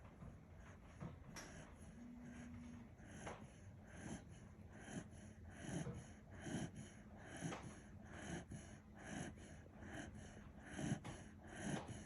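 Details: Sleeping Kishu dog Kinchan snores in a steady series of low, rasping snorts a little faster than one per second, growing louder toward the end over a quiet indoor hum.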